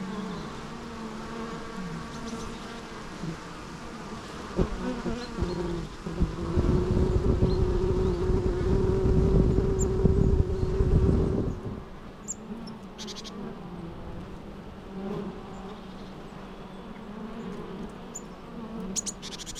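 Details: Bees buzzing with a low drone that swells into a louder, sustained close pass in the middle before easing back to a softer hum; faint high ticks near the end.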